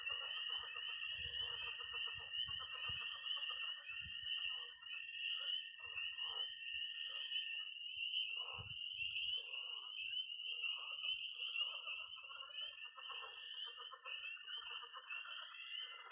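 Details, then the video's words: Frogs and toads call together on a spring night at a Missouri pond: constant shrill peeping, a sustained high trill that drops out midway and then returns, a busy mid-pitched babble, and occasional low knocks. "20 minutes of toads and frogs, sound only!"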